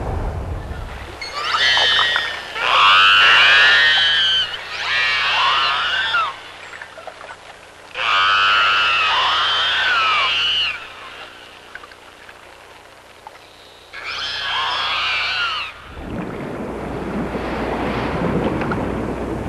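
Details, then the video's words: Pilot whales calling underwater, with killer whales also present: bursts of bright, arching whistled calls that rise and fall, with strong harmonics, grouped in several clusters separated by quieter gaps, ending in a broad hissing noise. "Pilot Whales Talking"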